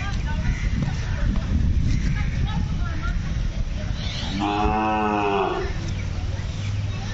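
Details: Aggressive black Hallikar bull from Kelamangalam, running vigorously after escaping its handlers and showing anger on a field, readied for south Indian festivals such as jallikattu; one drawn-out, harmonic moo lasting about a second midway, over steady rumbling background noise.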